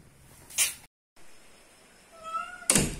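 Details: A domestic cat gives a short, tonal meow that holds steady and then fades, between sharp knocks, in or around a house on Camiguin Island, Philippines.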